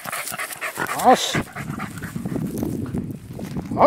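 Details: Welsh Terrier on a deer hunt in Izu, Japan, in October 2012, after rousing and chasing a large deer so it could be shot; a sharp harmonic bark early on and another at the end, with panting, rustling and a man's voice between.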